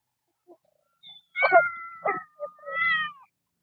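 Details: Kitten among a group of temple cats living outdoors, screaming loudly: a long harmonic meow sliding slightly down over about a second, then shorter meows in quick succession, with faint low grunting underneath.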